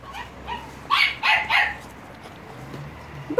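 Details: Staffordshire Bull Terrier puppies, kept alongside American Staffordshire Terrier puppies, recorded 30 July 2017: a quick run of three sharp, high yapping barks near the middle, with soft fainter yips before them and a woman's voice close by.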